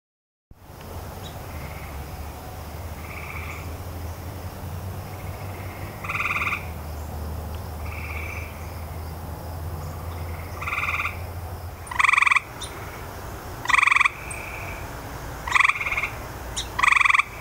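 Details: Grey tree frog calling in a noisy setting: short trilled bursts that start faint and grow louder, closer together toward the end, a steady low hum underneath.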